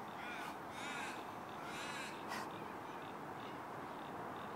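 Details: Delta, a husky, singing: several wavering, drawn-out vocal notes with a rolling, yodel-like pitch come in short bursts during the first half, over a steady hiss of background noise.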